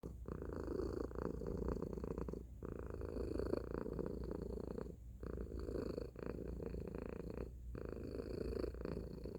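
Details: Tacy, a domestic cat, purring loudly: a steady, rough, low rumbling hum that breaks off briefly about every two to three seconds for a breath, then resumes. The room is otherwise quiet.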